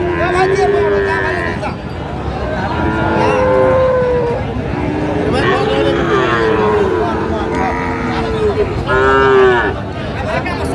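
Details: Friesian and crossbred bull calves at Raniganj cattle market in Dinajpur, Bangladesh, on 15 January 2025, several calves mooing in long, level, drawn-out calls over a busy market din with men's voices.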